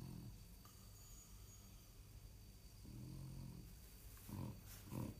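A sleeping French bulldog snores with deep, raspy rumbles that come in uneven breaths. The louder snorts near the end carry a gravelly, wheezy edge over a quiet background hiss.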